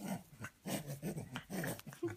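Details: A pet French Bulldog being tickled indoors makes short, low, rumbling growls in quick bursts, while a person talks to it.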